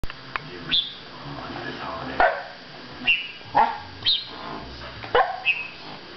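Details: Chow Chow dog reacting to a manual air pump, which it hates; several short sharp barks or yelps spaced about a second apart, with quiet background between.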